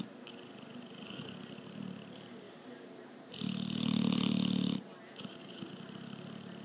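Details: A sleeping Labrador Retriever snores, with one loud, rough, droning breath lasting over a second midway, set between quieter, breathy snuffles; faint room noise throughout.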